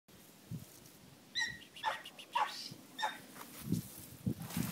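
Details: A litter of Pembroke Welsh Corgi puppies gives short, high yips and whines in quick bursts.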